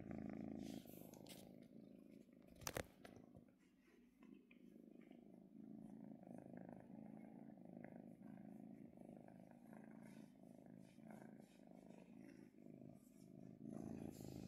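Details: Relaxed female kitten purring under petting, a steady low rumble pulsing with her breathing, interrupted early by a brief loud clatter, then continuing evenly.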